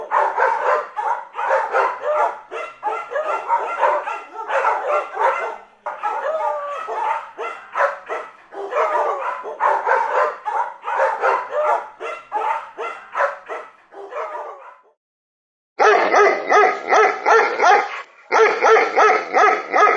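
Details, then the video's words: Repeated fast barks from a dog, about three per second in dense runs, then a short silence before another burst of harsher, evenly spaced barks. "Dog Sounds"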